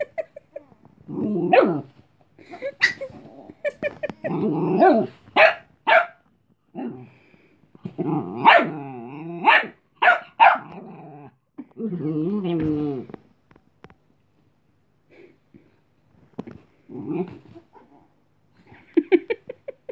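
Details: Female Chihuahua puppy Cleo, wanting to sleep, warns off the other dog Robin, who wants to play: irregular sharp barks mixed with throaty growling yaps, denser in the middle, then sparse short yips and a few late barks.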